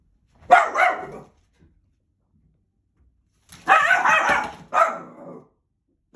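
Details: Indoors, a dog barks at a mailman dropping mail through the door slot and tries to eat the mail: one loud bark, a pause of over two seconds, then a burst of rough barks, another bark and a trailing growl.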